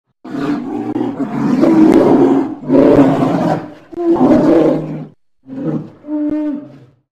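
A polar bear gives deep, harsh roaring growls in several long, rasping bursts.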